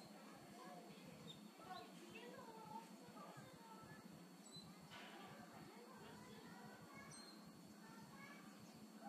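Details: Ring-tailed lemurs at Yumemigasaki Zoo in Kawasaki City, Japan: many short, quiet, thin chirps and upward-sliding squeaks scattered across the clip, with a steady low rumble and faint voices in the background.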